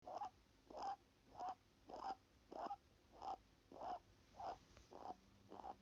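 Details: Rabbit breathing through its nose: soft, airy puffs repeating steadily, roughly one every half second, about ten in a row, each a brief breathy hiss with a faint tonal edge.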